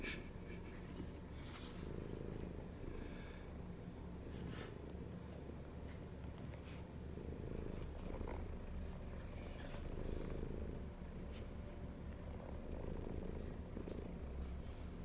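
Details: Hungry house cat purring, a continuous low rumble that swells and fades in slow rhythmic waves every couple of seconds, with faint rustles and small taps in the room.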